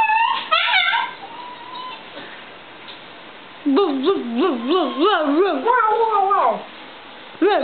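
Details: Louie, an Italian greyhound and miniature pinscher mix, 'sings' to his family indoors: a short high whine, quiet gap, then a series of rapid wobbling yodel notes that rise and fall, ending in a long sliding whine and a final yelp.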